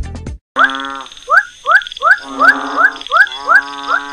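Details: Frog calls played back to demonstrate a species identification system based on frog calls: about eight short, harmonic croaks, each ending in a quick upward sweep, repeated roughly every half second over a steady high electronic tone.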